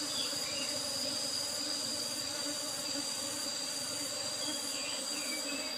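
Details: Asian honey bees (Apis cerana) during a honey harvest from an old-style hive box with a used asbestos lid: a dense, steady droning hum under a constant thin high whine, with faint short chirps from other sources scattered throughout.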